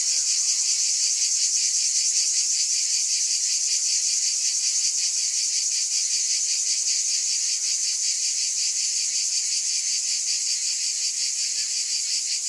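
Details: Continuous shrill cicada buzzing, dense and even in loudness, with a faint rapid flutter running through the drone and a soft low hum in the background.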